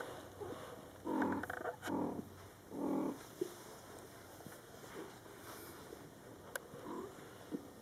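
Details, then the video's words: Mother cat Coco calling to her young Scottish Fold kittens, born July 22, 2012: three clear, drawn-out meows with rich harmonics in quick succession, then a few faint softer sounds in a quiet room. "Mom Cat Talking to her Cute Meowing Kittens"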